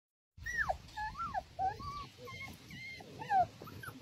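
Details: Dog, apparently a puppy, giving a string of high whining whimpers, each a short falling or wavering tone, some sliding steeply down, repeated irregularly over about four seconds with faint background rumble.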